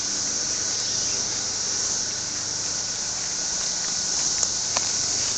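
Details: Steady, piercing cicada buzz that never pauses, a dense high hiss-like whine, broken only by a couple of small sharp clicks near the end.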